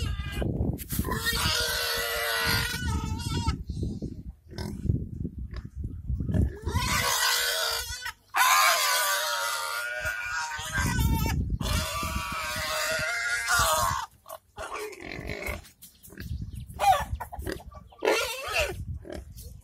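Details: Domestic village pigs at feeding time, squealing in long loud harmonic bursts of two to three seconds with short gaps between, interspersed with low grunting and snuffling, with some human voices in the background.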